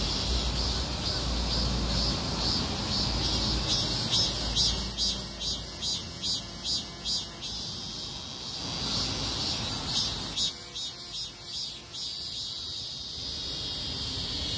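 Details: A street chorus of cicadas in a heatwave; steady high buzzing with rhythmic pulsed phrases that fade and return, over a background of low traffic rumble.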